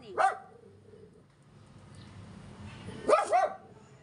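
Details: Agitated Yorkshire Terrier, stressed by a man delivering gas, lets out one sharp bark, then after a pause a double bark, over faint room noise.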